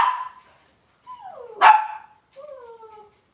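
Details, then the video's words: Cavalier King Charles Spaniel puppies from Robin's litter, indoors on a kitchen cam livestream, give a series of high whining cries, some sliding downward, with one louder sharp yelp in the middle. "Cavalier Puppy Live Stream: Robin's Puppies"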